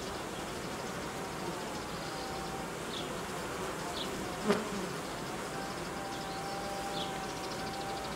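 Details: Honey bees of a colony being reorganised as temperatures fall and stores run low. A steady, layered hum with faint tonal lines, one sharp click midway, and scattered high chirps in the background.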